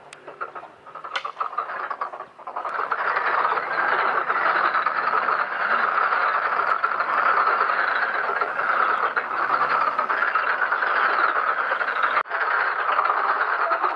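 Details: Many black-spotted pond frogs croaking together in a pond while mating and spawning; after a quiet opening, a dense, continuous rattling chorus of overlapping pulsed calls builds and holds steady, with faint clicks.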